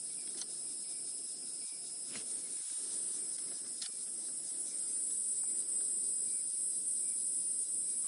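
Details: Cicadas at dusk on a game drive on 27 October 2016, near a resting leopard, make a steady, piercing high-pitched drone that holds unbroken throughout, while birds call as the light fades.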